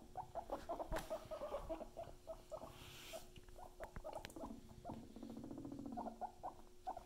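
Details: Pet guinea pigs indoors, short high squeaks and chirps repeated in quick runs around 500 to 800 pitch range, with patter of movement, rustling and a steady low hum in the background.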